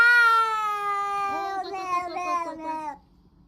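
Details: Domestic cat vocalising as it eats, a funny noise: a sustained tonal wail that wavers and breaks into pulsing, chopped segments toward its end before cutting off, with near silence afterward.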